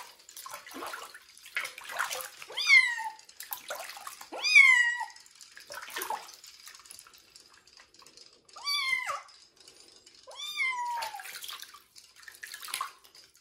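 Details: Wet kitten Joe, bathed and treated for fleas before adoption, meows repeatedly, about four plaintive rising-falling cries spaced a couple of seconds apart over running water and splashing.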